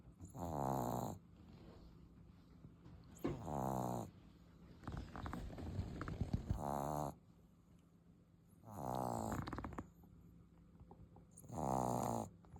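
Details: Sleeping English Bulldog puppy snoring loudly indoors: a series of deep, rattling, buzzy snores roughly every three seconds, with softer snuffling breaths in between.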